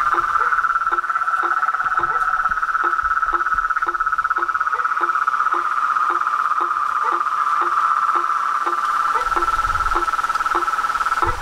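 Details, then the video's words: Dusk chorus of toads, frogs and treefrogs at a pond by a house porch, lit by a light without fleeing: an unbroken buzzy trill under rhythmic short dropping notes about twice a second, with faint low rumbling near the end. "A SINFONIA DOS SAPOS, RÃS E PERERECAS"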